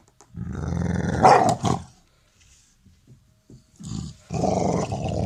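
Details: A pet Labrador Retriever guarding its ball in play, acting aggressive but friendly: a low rumbling growl that swells into a brief snarl, a quiet gap with soft sounds, then another growl.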